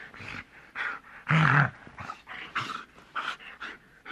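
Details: A large dog giving quick, harsh growls and snarls, about two per second, with one louder, deeper rumbling burst in the middle and breathy huffs between them.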